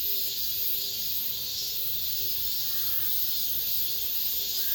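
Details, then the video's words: Cicadas singing in the last days of summer inside an apartment complex: a dense, hissing high buzz that swells and fades in slow waves, with faint short tonal notes repeating low beneath it. "올 여름 마지막 매미소리, 아파트 단지 내..."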